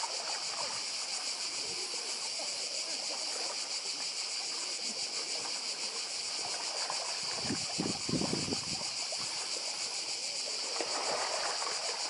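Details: On Badija island, Croatia, in 2024, cicadas keep up a loud high buzzing chorus beating in rapid pulses, with soft sea sounds and a burst of splashing waves around eight seconds.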